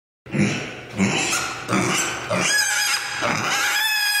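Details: Mini pig Oscar, sleepy and grumpy, screaming as he walks through the house; harsh, loud squealing bursts repeated roughly every half second to second, rising into steadier, drawn-out shrieks in an indoor room.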